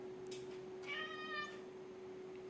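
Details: Domestic cat giving a single short meow of about half a second: a steady, slightly falling tone with rich overtones, set against a constant low electrical hum in a quiet room.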